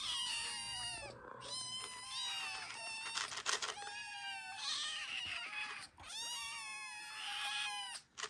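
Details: Several Ragdoll kittens, the first litter of their mother, begging for food indoors: overlapping high, thin, wavering meows in near-continuous chorus, rising and falling, with brief gaps and a few soft knocks.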